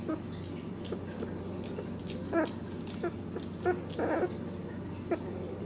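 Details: Ten-day-old Dachshund puppies beside their protective, caring mother indoors; short squeaky whimpers come about five times, clustered from two to five seconds, over a steady low hum and faint rustling.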